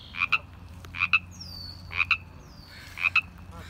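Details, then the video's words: In spring, in April at Jericho Park, Vancouver, a frog gives a two-part ribbit, quick paired raspy notes about once a second, four times, with faint thin birdsong whistles and a low hum behind. "a Ribbit-ingFrog"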